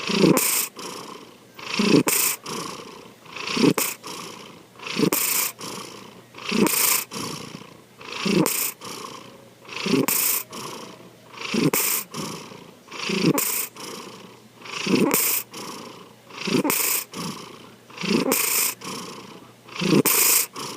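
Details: Sankichi, a pet cat, snoring while asleep: rhythmic breaths about every 1.7 seconds, each a rasping inhale rising to a hissy, airy peak, then a quiet pause, steady throughout.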